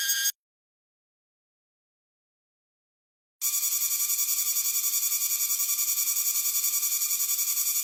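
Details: Cicada song: a brief burst of loud, high buzzing cuts off into three seconds of silence, then resumes as a steady, harsh, rapidly pulsing drone that stays even and continuous to the end.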